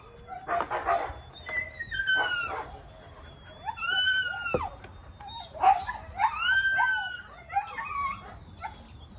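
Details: Husky vocalizing loudly, a run of drawn-out, wavering whines and howl-like cries that rise then slide down, with short yelping bursts between, over a quiet background.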